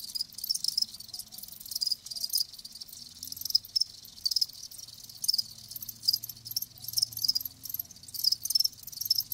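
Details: Chorus of live crickets: shrill, pulsing chirps tumble over one another in quick repeated bursts, a bright continuous high-pitched shimmer throughout.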